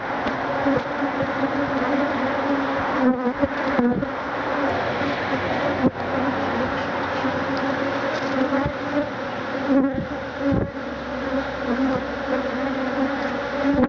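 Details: Attacking Africanized honey bees surround a man removing their hive, thousands in a stinging cloud; a long, constant buzzing drone holding steady pitch, with occasional thumps and rustles.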